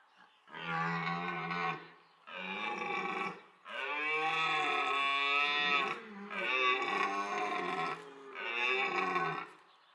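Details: Red deer stag roaring during the autumn rut at Parc Sainte-Croix wildlife park, where two evenly matched stags chased and fought over females; five long, harsh, harmonic-rich roars, each one to two seconds long, separated by short gaps.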